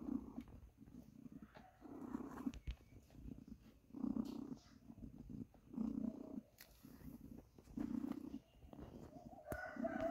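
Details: Domestic cat purring close by, low rumbling bursts roughly every two seconds following its breathing, with faint clicks and a brief higher tone near the end.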